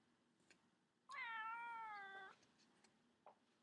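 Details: Pet cat lying in a baby cradle indoors gives a single drawn-out meow of about one second, a steady harmonic tone with a slight downward slide; brief soft knocks before and after in a quiet room.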